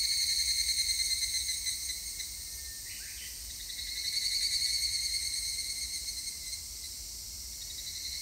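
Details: Evening cicadas (higurashi) fill the air with a shrill, ringing, rapidly pulsing chorus that swells and fades, recorded on 3 August 2021.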